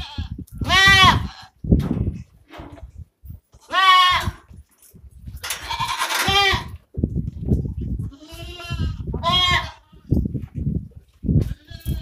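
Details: Osmanabadi goats on a farm giving repeated harmonic, quavering bleats at irregular intervals, some loud and some fainter, amid low thumping and shuffling noises.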